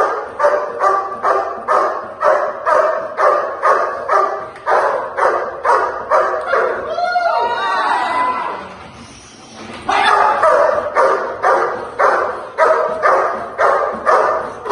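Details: Barking dog at protection training: a fast regular series of harsh barks, about two per second, interrupted midway by a few seconds of mixed noise and a pause before the barking resumes.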